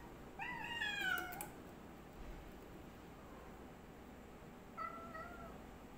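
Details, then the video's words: Two cats, one black and one white, in a fight standoff: one wavering, harmonic yowl rises and falls for about a second, then quiet, then a shorter, softer wail near the end. "Cat VS Cat Black Cat Try To Fight white Cat"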